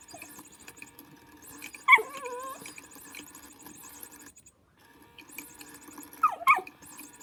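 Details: While playing with a motion cat toy, Lulu the dog lets out a drawn-out, wavering whine, then two quick high yelps after a pause, with the toy's steady mechanical ticking behind.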